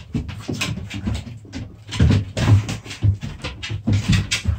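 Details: Puppies play-fighting, giving low rumbling growls in uneven bursts with scuffling, panting noises; the loudest flurry comes near the middle, then short growls recur about every half second.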